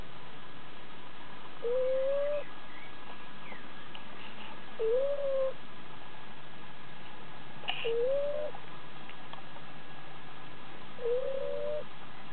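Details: Sleeping eight-week-old Shiba Inu named Sakura, recorded May 2009, gives soft nasal whistles that rise slightly, one per breath roughly every three seconds, four in a row, with faint rustles between.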